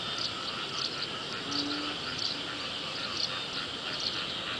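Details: Frogs calling during early-season rain, a steady buzzing chorus in two pitch bands with brighter pulsed notes repeating roughly every half second over a hiss of background noise.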